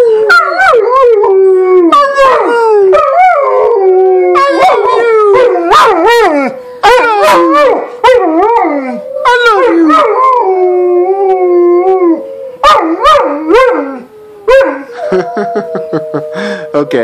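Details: A busy chorus of dogs and kids howling at once: many short rising-and-falling wails and yelps crowd together, repeating rapidly, before easing into steadier long howls.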